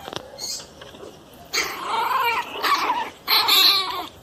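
A small pinscher gives three harsh, high-pitched snarling barks in quick succession, sounding plainly aggressive.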